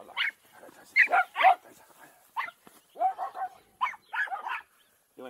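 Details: Mixed pack of farm dogs having a ball on wet, unmown ground, captured with an Insta 360 EVO: bursts of bright overlapping barks and yaps in quick clusters, interleaved with a person speaking to the dogs.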